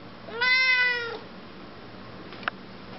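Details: A talkative female Siamese cat indoors answers her owner with one bright meow of under a second, bending slightly downward. It is followed by quiet room noise and a short faint click.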